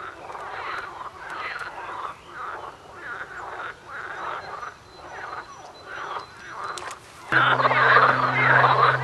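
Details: Frogs croaking in a run of short, rough pulsed calls, roughly three a second, rising and falling in loudness; near the end a steady low hum and a louder wash of noise cover the calls.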